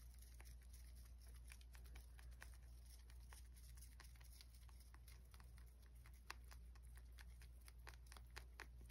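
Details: Close-up ASMR recording of a rabbit eating inside, quiet crisp crunches in a steady stream with a few louder snaps, low hum beneath.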